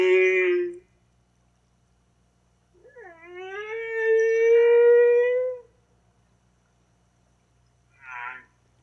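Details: Baleen humpback whale singing in a pitched, tonal style, compared to slowed-down bird song: a short harmonic note, a pause, then a long upswept moan that levels into a sustained tone, and a brief, buzzier unit at the end.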